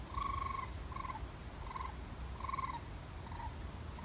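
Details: Raccoon calling: a series of short, wavering, tremulous trills, each about half a second long and repeated roughly every second, over a steady low rumble of background noise.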